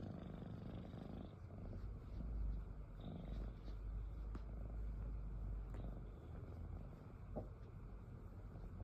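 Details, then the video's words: Sleeping cat giving a continuous deep snore, a dense low-pitched rumble that swells gently around the middle and eases toward the end, with a few faint clicks scattered over it. "Snoring Cat"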